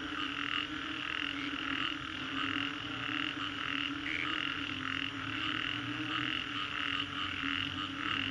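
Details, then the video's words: A chorus of frogs after a storm in Green Corridor, Singapore: dense overlapping croaks pulsing about twice per second in a steady band, with a constant low droning hum beneath. "Frogs after Storm, Green Corridor, Singapore"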